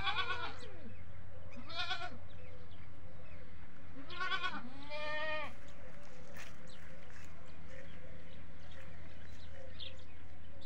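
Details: Goats on a farm calling for their feed, one goat's bleat prompting others; four quavering bleats in the first six seconds, the last long and tremulous, followed by low hum and faint bird chirps.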